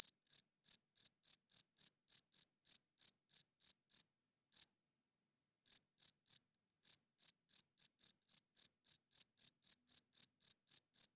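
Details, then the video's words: At night a cricket chirps loudly in rapid high-pitched pulses, about four a second, pausing briefly twice before resuming the same steady trill; no other sound present. "40 Minutes of Cricket Chirping Sounds - Cricket klinkt 's nachts luid"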